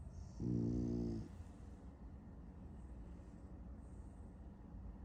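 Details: French Bulldog asleep and dreaming of chasing cats gives one loud, buzzy, tonal snore lasting about a second near the start, then settles into quiet, low, rough breathing for the rest.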